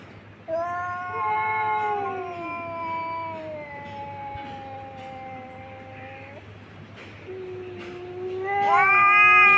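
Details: Two cats fighting on a tin roof at noon, recorded on a phone: long, drawn-out wailing yowls with rich harmonics, one voice sliding slowly downward and holding for several seconds, then a second rising, louder howl near the end.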